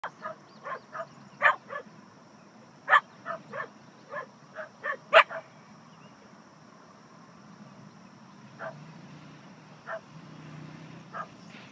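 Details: Dogs barking inside a parked vehicle in a park while a coyote is nearby, before Katie runs over and chases the coyote off; short sharp barks in quick bursts during the first six seconds, then sparser single barks with a faint steady whine.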